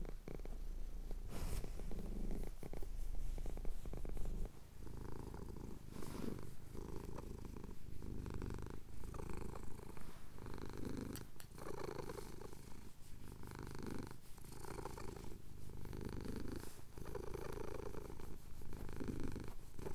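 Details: Domestic cat purring steadily while having his chin scratched at sunrise over the Cotswold hills, recorded on a handheld recorder; a continuous low rumbling purr with rhythmic breathing pulses roughly every second or so.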